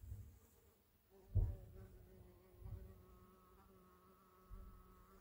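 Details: A huge hornet-like insect of about 6–7 cm, its identity uncertain, gives a steady, low droning buzz broken by a few dull thumps, recorded 13 July 2024 near Orikhiv, Zaporizhzhia region, Ukraine, in abnormal heat up to 40°C.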